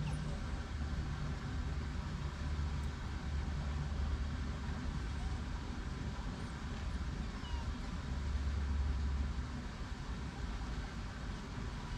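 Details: Steady low hum of passing road traffic and outdoor urban background, with faint murmurs.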